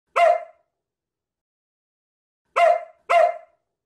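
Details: Samoyed dog "babbling" in the morning indoors, vocalizing at its owner who has just come downstairs: three short, loud, yelping vocalizations, one alone, then after about two seconds two more in quick succession, otherwise quiet.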